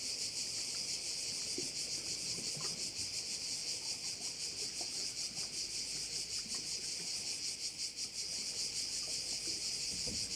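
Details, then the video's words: Korčula bay crickets fill the air with a sustained, rapidly throbbing high-pitched trill, steady in loudness, with occasional soft clicks and faint ambient noise below. "view of one of the bays in Korcula with sounds of crickets"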